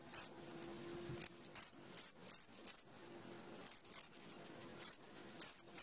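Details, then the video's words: Cricket at midnight giving scattered high chirps in short bursts separated by quiet gaps, with a faint low hum and soft background rustle. "SUARA JANGKRIK TENGAH MALAM"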